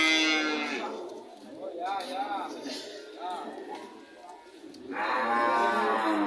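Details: Cow mooing at a livestock market, with loud harmonic moos at the start and again near the end, softer lowing between, and a busy background of other animals and murmuring voices.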